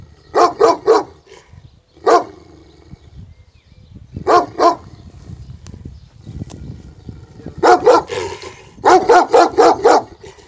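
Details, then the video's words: Wild Greek dog in Pidima, Messinia, barking in short bursts of two to five sharp, harmonically rich barks separated by pauses of a second or more. "wild greek dog"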